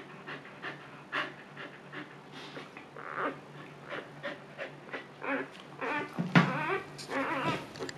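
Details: Luna, a Siberian Husky bitch in her second labor, calmly delivering puppies: uneven bursts of heavy panting build in strength, broken near the end by a short, sharp, higher whimper and a brief strained vocal sound.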